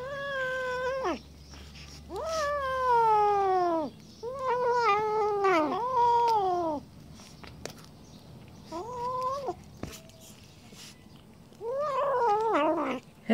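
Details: Jealous Siamese cats give loud, drawn-out yowls, each sliding down in pitch, in bouts a few seconds apart, as they guard their fish and refuse to share it.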